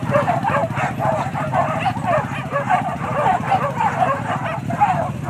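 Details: Hunting dogs barking during a wild boar hunt at Kayu Ampek, Tanjung Emas district, Tanah Datar regency: a dense, continuous chorus of overlapping barks from several dogs, with a steady low rumble beneath.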